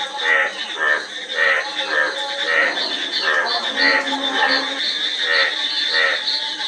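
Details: Frogs calling in a chorus: harmonic, pulsed croaks repeated roughly every half second, overlapping one another, over a constant high-pitched insect-like drone.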